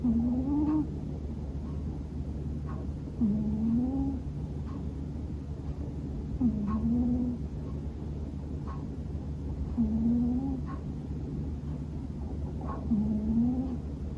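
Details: Bono, a male Scottish Fold cat born in 2020, snores loudly while asleep indoors. Each breath ends in a short rising voiced tone, repeated about every three seconds over a steady low hum.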